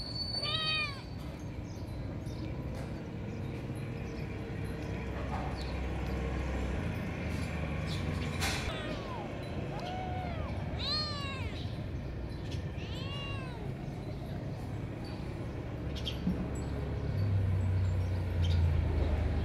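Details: Cats in competition over food: one sharp meow opens, then a burst of repeated arched, descending meows between nine and fourteen seconds, over a steady low rumble and occasional clicks.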